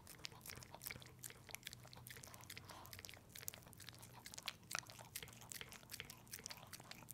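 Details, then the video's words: Pepe the dog working through a peanut butter treat indoors, heard up close: dense, irregular crunchy bites and sticky chewing noises packed tightly together, with a faint low hum in the room. "Watch my dog eat peanut butter!"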